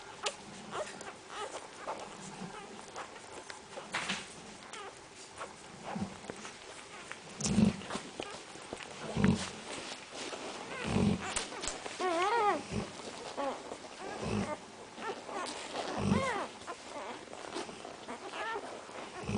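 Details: Central Asian Shepherd Dog puppies giving short whimpers and wavering high whines among soft thumps and shuffling, with one longer quavering whine near the middle.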